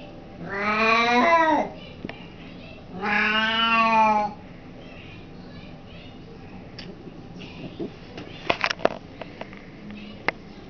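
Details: An almost 21-year-old part Siamese, part Abyssinian house cat, recorded in November 2005, yowls twice in long wavering harmonic-rich howls of about a second and a half each, followed by quiet with scattered clicks and knocks.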